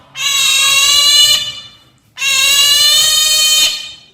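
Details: Two pet otters, Brownie and Daisy, asking for breakfast with piercing, steady screams. Two sustained high calls, each about one and a half seconds long, come roughly two seconds apart, with nothing else audible.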